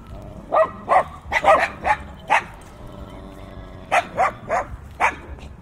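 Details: Dogs barking fiercely, captured with in-ear binaural microphones on a windy day: about ten sharp, hoarse barks in quick bursts, a lull of over a second, then four more rapid barks.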